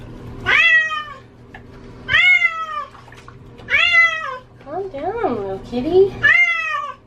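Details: Female domestic cat being bathed indoors, said to hate water, giving loud drawn-out meows that rise then fall, about four long cries with short yowls between, a person's soothing voice heard.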